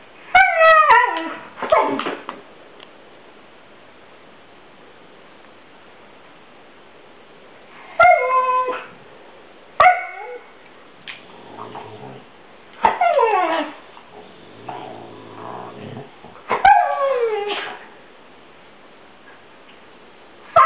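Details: Chloe, a Siberian Husky, irritated with another dog, Luci, for not wanting to play: bursts of high yelping whines and howl-like wails that slide downward, in several outbursts separated by short pauses, with softer grumbles between.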